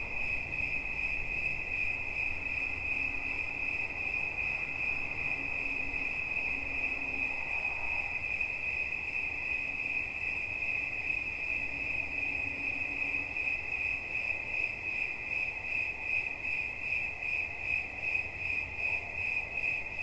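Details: High, finely pulsed cricket trill running without a break. Faint low tones and a soft background hum drift in and out.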